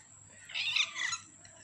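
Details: Kitten, 15 days old, giving a single high thin mew lasting about half a second, strained and wavering, over quiet background hum with a steady high-pitched electrical whine.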